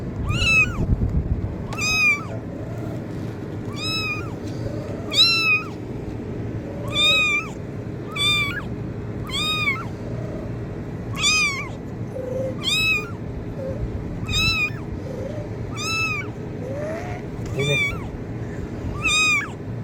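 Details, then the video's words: Kitten meowing used to attract cats: a long run of about fourteen regular, thin mews, each rising then falling, repeated every second or so, with fainter lower mews from a second cat and steady low rumble. "kitten meowing sound effect| cat meow sound effect| cat sounds to attract cats"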